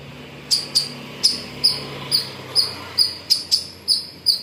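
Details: A squirrel gives sharp, high chirps in an uneven, repeated series in the morning at Pozhichalur.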